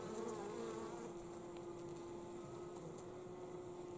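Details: Honey bees carry pollen home in winter with a steady, even buzz. A clear sustained hum tone runs throughout, with faint higher tones sliding in and out.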